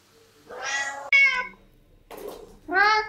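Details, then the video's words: Three short meows from cats at a breakfast table, the middle one bright and steady, the last rising then falling, with a brief rustle between them in a small indoor room. "Cats at Breakfast Table"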